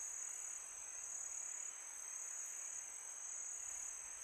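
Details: Crickets at night in summer: one steady, very high continuous trill, barely varying in loudness, set against a low, breathy hiss of wind.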